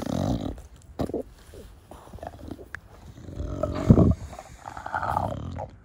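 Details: Bulldog Da Vinci, a pet dog of a brachycephalic breed, snorting loudly while playing in the garden: harsh low puffs at the start, then a louder drawn-out grunting snort near four seconds, with light scuffling.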